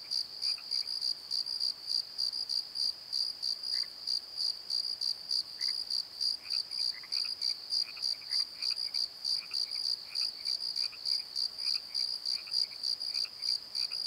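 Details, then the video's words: Crickets after dark in a valley bottom: a high, ringing chirp pulsing evenly around three times a second, with sparse lower chirps and short squeaks from other night insects. "Crickets and Croaks! Pozo Night Tree"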